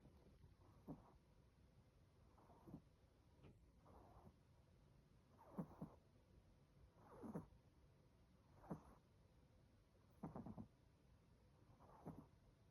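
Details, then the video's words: Chocolate, an 18-week-old Chihuahua puppy, snoring loudly while asleep: soft rasping breaths repeated roughly every one and a half to two seconds, each a brief low rumble with faint upper hiss, over a quiet steady background hum. "18 week old chihuahua: Chocolate snores loudly."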